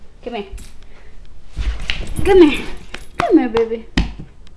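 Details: Play-fighting puppy Hershey, a small house pet, lets out short falling yelps and squeaky whines between bouts of a woman's coaxing speech indoors.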